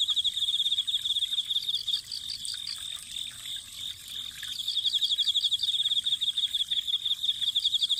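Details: Chorus of autumn insects near spring water: a shrill pulsed trill, briefly softening midway, with a second caller adding short clipped chirp series over it.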